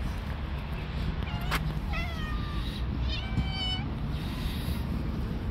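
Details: Friendly orange stray cat living on the street gives two drawn-out, tonal meows, the second bending downward, over steady low traffic-like rumble.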